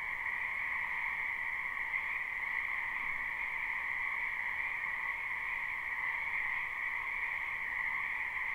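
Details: Frogs massed in a wetland behind a home in spring, captured live: a constant wall of croaking with a lower and a higher band, unchanging in loudness from start to finish, and nothing else audible.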